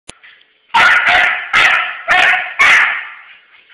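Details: Dog chasing a friend who runs from it, giving a run of five loud, high yelping barks in quick bursts after a faint opening click, with a thin whine trailing between them.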